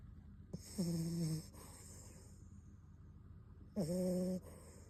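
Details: Sleeping Beagle puppy Bon-kun gives two humming, slightly whistling snores about three seconds apart, each lasting roughly two-thirds of a second, with faint airy breathing in the gaps.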